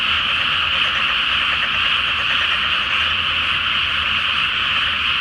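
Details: Great chorus of frogs in a flooded rice field at night ahead of planting season in Japan, full flower moon overhead: constant overlapping croaking and trilling from many callers, dense and unvarying, over a quiet low hum.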